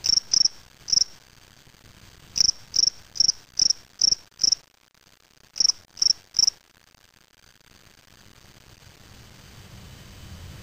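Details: Caged spring field cricket (Gryllus veletis) collected May 25, 2007 in Waterloo, Ontario, Canada, giving short high chirps in clusters of two to six, about two per second, then falling silent for the last four seconds.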